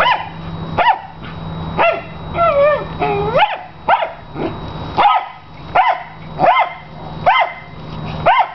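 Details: Obsessive dog at play with his big tennis ball, barking piercingly: high yelping barks spaced about a second apart, with a wavering whine near the start and a steady low hum in the background.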